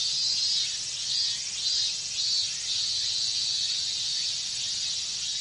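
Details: Loud cicada chorus of minmin cicadas on a hot Japanese summer day; a high, rasping drone with rhythmic swells about every half second early on, then settling into an even shrill hum.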